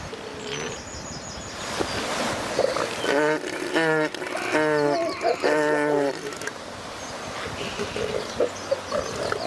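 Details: Wild northern elephant seals during mating season on the remote shores of Ocean Beach, California. A run of loud, deep, guttural pulsed calls with rich harmonics stretches through the middle, set against steady background rumble and noise.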